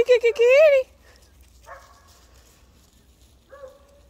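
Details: Pet cat meowing on January 18, 2023, loud enough that its owner thought it was in trouble and went to check; a loud, drawn-out call that rises and falls in pitch opens the recording, followed by quieter human speech.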